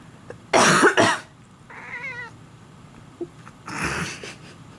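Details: Domestic cat that meows whenever its owner coughs or sneezes: loud human coughs, then one short quavering meow, then another cough in a small quiet room.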